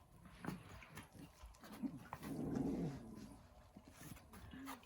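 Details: Shiba Inu male, a rescued dog suffering pollen allergy in spring pollen season, reverse sneezing in a fit: harsh low snorting inhalations, one long grating snort in the middle, with short snuffles before and after.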